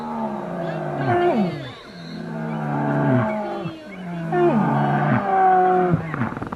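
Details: Asian black bear vocalizing: rich, nasal moans repeated about every one and a half seconds, each holding steady and then dropping sharply in pitch, with voices overlapping and a rough, rasping edge between calls.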